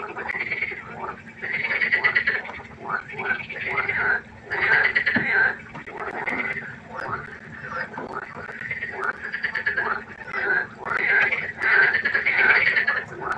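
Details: Frogs croaking at night by a pond: a dense chorus of harsh, pulsed, rattling croaks overlapping in bursts of about a second, rising and falling in loudness, with a steady low hum underneath.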